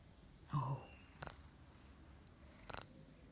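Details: A big Maine Coon cat from the south of France, petted and talked to as it snores, gives a brief, low rumbling purr followed by soft clicks in a quiet room.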